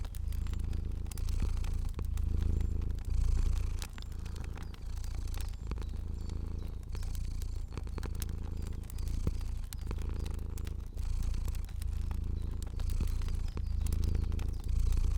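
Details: Cozy sleeping fluffy cat purrs steadily, a low vibrating drone pulsing in regular bouts roughly every second as it breathes, accompanied by frequent snapping crackles of a fire.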